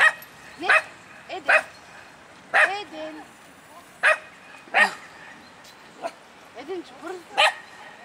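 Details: Male Miniature Pinscher called Eden, loose in a park, barks repeatedly in sharp high yaps spaced irregularly about a second apart, some with whiny pitched tails, across eight seconds of open outdoor quiet.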